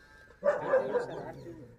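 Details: Hallikar male and female calves at Boregowdannadoddi in Sathanur Hobli, Kanakapura Taluk, Ramnagar; a single loud, wavering bawl of about a second that fades gradually.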